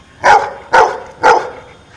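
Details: A dog counting out the answer to six minus three: three evenly spaced, punchy barks roughly half a second apart, then quiet room tone.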